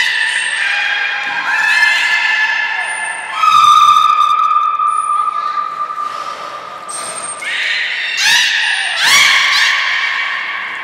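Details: Beluga named Nana during a training session at Port of Nagoya Public Aquarium, 13 April 2019: a run of harmonic, bending tonal calls and squeals, with sharp upswept cries near the end and thin high whistles between them, in a large indoor hall.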